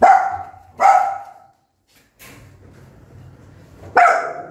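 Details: Angry mother dog barking loudly at her newborn puppies indoors: two sharp, loud barks in quick succession, a pause with low rumbling background, then a third bark.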